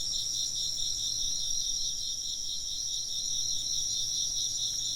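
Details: Insects chirping in a steady chorus, several layers of high, finely pulsed trills stacked at different pitches and running without a break, over a faint low hum.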